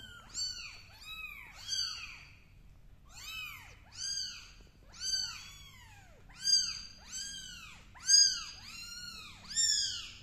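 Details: Kittens crawling on a carpet and meowing: high, arched mews repeated roughly every second or so in clustered series, clear and loud over a quiet room with a faint low hum.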